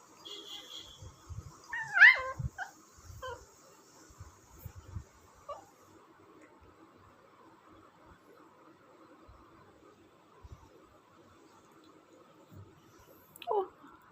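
An Indian Spitz puppy gives short, high whimpering yips and squeaks during play.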